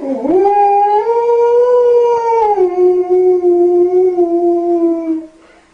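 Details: Dog howling along to a lullaby: a clear, rich howl that swoops upward, holds a high plateau, then drops to a lower, slightly wavering tone before trailing off, with no other sounds prominent.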